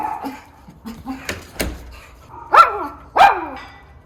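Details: Miniature schnauzer Levi on sentry duty, watching the potato harvest in Aroostook County, Maine, on October 10, 2022: two sharp, loud barks about half a second apart follow soft knocks and low muffled sounds.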